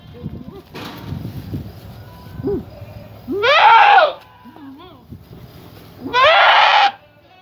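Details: Coffee, a young male Boer goat calling his head off in puberty or rut at feeding time, gives two loud harsh wavering bleats about three seconds apart, with background music and low voices between them.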